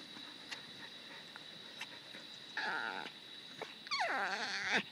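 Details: A dog gives two funny noises: a short wavering, harmonic whine, then a longer one that bends up and down in pitch with a strained, yodelling quality. A steady high electronic tone and faint clicks sit in the background.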